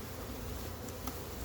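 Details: Honey bees swarming while a large wild hive is removed, a constant low hum from many bees, with a short sharp knock about a second in.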